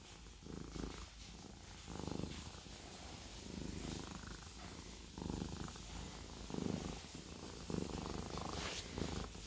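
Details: Purring Siamese cat, a soft continuous low rumble with gentle surges about once a second, with a faint brief hiss-like rustle near the end.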